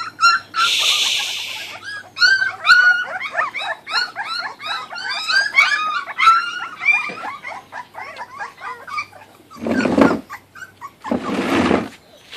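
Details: Kuvasz puppies from 2013 feeding on raw food. They give a dense overlapping chorus of squeaky, wavering whimpers and yelps, then two loud bursts of rustling noise near the end.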